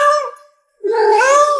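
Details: Domestic pet cat indoors meowing twice: a brief fading first meow, then after a half-second pause a longer, louder wavering meow that rises slightly in the middle.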